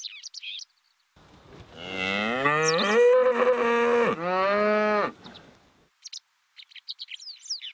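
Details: Charolais suckler cow in a herd on pasture, giving one long, loud, harmonically rich moo of about four seconds, rising then holding steady with a brief break; bird chirps are heard before and after.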